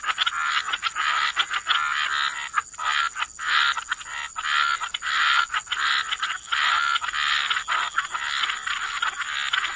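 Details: Frogs croaking together in wetland surroundings, a thick continuous chorus of raspy pulsed croaks swelling and fading in short bursts, with faint whistled tones and a steady high hiss.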